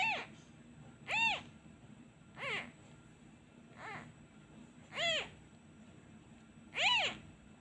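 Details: Abandoned kitten crying for its missing mother whenever a hand is taken away: six high, arched meows with bright harmonics, spaced roughly every one to one and a half seconds against a quiet indoor background.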